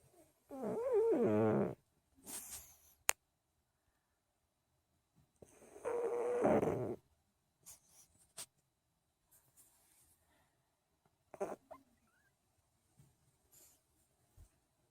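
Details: Male pug asleep indoors on a lazy morning, giving two long buzzy snores about five seconds apart, the first followed by a short snort, with soft clicks and rustles in the quiet gaps.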